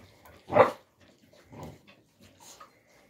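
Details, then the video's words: Central Asian Shepherd Dog (alabai) puppies, young, in winter 2022: one short, sharp yelp-like bark, then two fainter muffled grunts in otherwise quiet surroundings. "alabai dog 24"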